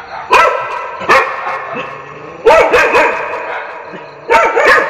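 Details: Dog barks for testing a pet's reaction. Sparse single barks come at first, then a denser burst of yapping barks in the middle, and a final pair near the end.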